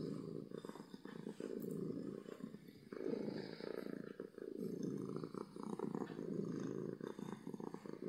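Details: Domestic cat purring loudly from happiness, a continuous low rumble swelling and fading in breath-length cycles of roughly one to two seconds.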